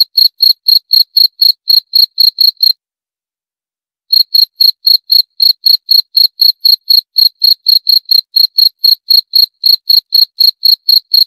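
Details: Rapid, even chirps from a cricket, shrill and high, roughly four per second, broken by a silent pause of about a second and a half before the chirping resumes; background otherwise silent.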